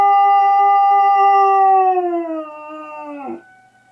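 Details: A male dog howls in response to an air raid siren. A long, sustained tone holds steady, then slowly sags lower and breaks off with a short downward drop near the end.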